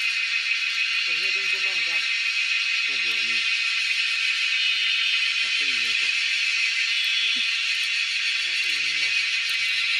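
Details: Cicadas in the wild, caught during a cicada hunt: a constant piercing high buzz fills the whole stretch while people talk in short bursts underneath.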